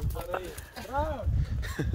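A German Shorthaired Pointer gives brief, arching whines, eager and excited before a hunt.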